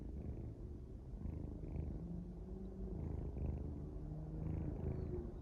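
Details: Sleeping kitten snoring softly, a steady low rumble with gentle rhythmic rises of breath, faint and close, no other sounds.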